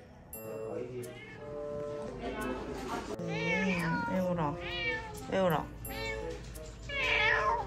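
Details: Pet cat with chronic stomatitis, taken in a carry bag to a new veterinary clinic for treatment, crying and being affectionate; a series of rising-and-falling harmonic meows of varying length over a steady background hum, with human speech and music.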